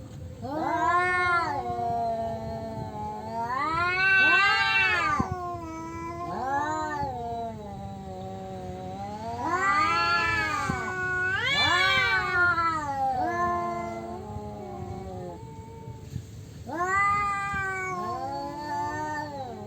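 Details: Rival male cats fighting over their territory, trading loud arching yowls in repeated surges roughly every three to five seconds, each wail climbing and falling in pitch, some overlapping.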